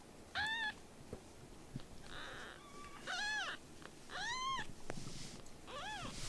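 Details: Rescued baby kittens fostered from a volunteer group, meowing: four high, arched mews with rich harmonics, each rising then falling, spaced about a second apart, with faint clicks and a soft hiss between them.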